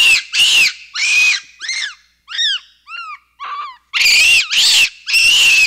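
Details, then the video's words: Capuchin monkey giving loud, harsh, screechy calls in bursts, then a run of clear whistled notes that arch up and down, before the harsh screeches return. Nearly all energy sits high in pitch, with no background sound. "Capuchin Sound"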